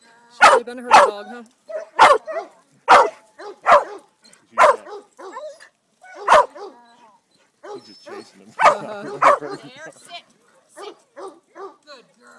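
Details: Sadie, a ten-and-a-half-year-old female Greater Swiss Mountain Dog, herding for the first time: loud, sharp barks in quick pairs and singles, roughly every second, with a person talking softly between them.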